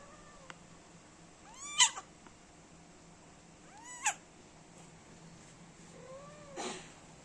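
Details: Kitten, one month old, nursing with its mother, lets out three short high mews, rising then falling, roughly two seconds apart, the last softer and lower, against a quiet indoor hum.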